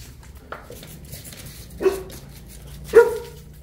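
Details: A Boerboel of the couple Enzo and Diva, South African Mastiffs kept in Egypt, starts with a faint short woof, then two heavier barks roughly one second apart.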